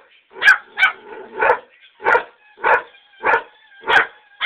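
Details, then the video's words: Pet greyhound barking on a back porch in reaction to greyhound videos being played: eight sharp, evenly spaced barks roughly every half second, loud and steady throughout. "Greyhound freaking out"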